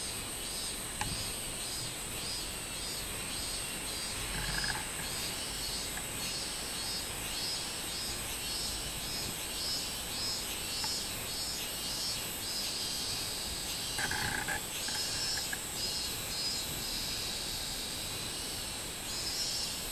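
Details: Summer cicada chorus with a minmin cicada, 24 July 2016: steady high pulsing buzz repeated throughout, with a few brief lower calls near five and fifteen seconds and occasional clicks.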